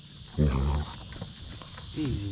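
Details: Basset Hound Mo playing rough with his sisters on a deck; a short low moaning growl near the start and a rising whine at the end, over steady outdoor hiss, with a man's voice telling him to ease up.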